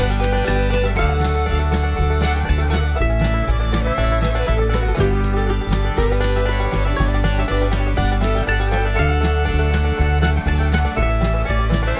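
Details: Lively bluegrass music with banjo and guitar plays loudly and continuously throughout.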